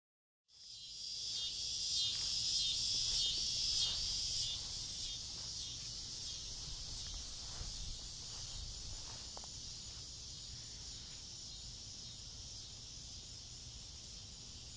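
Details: Cicadas calling from trees in a front yard on a summer evening just before dusk: a dense, continuous high buzzing hiss, loudest in the first four seconds, then steady and slightly softer, with faint clicks beneath.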